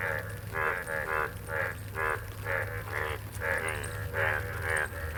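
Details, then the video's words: Frog calling in the rain: a steady run of loud, pulsed, buzzy croaks, each a short grating burst repeated roughly twice a second in a regular rhythm over a low constant rumble. "real frog sound in the 🌧️🐸"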